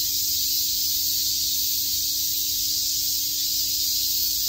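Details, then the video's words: On a summer day at Shakujii Park in Tokyo, many cicadas make an unbroken, even, high-pitched hissing drone at constant loudness throughout. "Cicada chirps"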